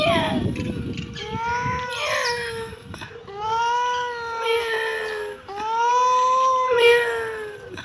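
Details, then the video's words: Kitten giving a run of four long, plaintive meows, each sustained and gently arched in pitch, with short gaps between them and a brief noisy rustle at the very start. "Kitten meowing"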